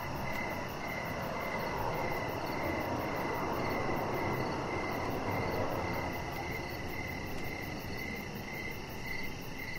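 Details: Evening crickets by a deck where Rocket the chihuahua puppy relaxes; steady high pulsed chirps continue throughout, partly covered by a louder broad rushing noise during the first six seconds.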